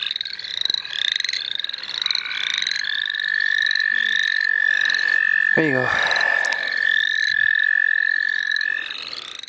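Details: Chorusing frogs in the St. Olaf College Natural Lands: rapid rising peeps at first, then a long level trill dominates, with a brief low human-sounding noise near the middle.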